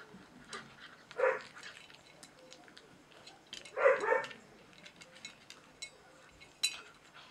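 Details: Four-week-old German Shorthaired Pointer puppies at a hunting dog kennel, offspring of KS Conan Seehof and Lorelei de Valcreole; two short, harsh yelps about two and a half seconds apart over faint background chatter and shuffling.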